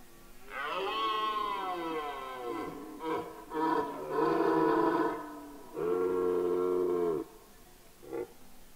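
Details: Rutting red deer stag roaring on Mont-Lozère, Cévennes National Park, France, 2016. The clip opens with a long, rich bellow, followed by a few short grunting bursts, then another sustained roar and a brief final grunt.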